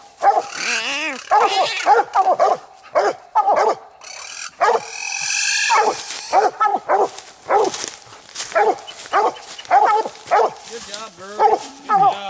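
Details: Coonhounds Nite Ch Fit and Nite Ch Cindy bark at night on their second raccoon, two taken within 20 minutes. A dense run of rapid, ringing chop barks, nearly two a second, opens with a wavering bawl.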